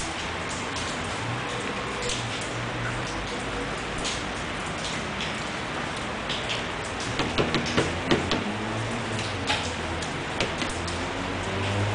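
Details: Steady broadband hiss with patter like rain on a surface, faint music underneath, and a run of sharper taps near the end.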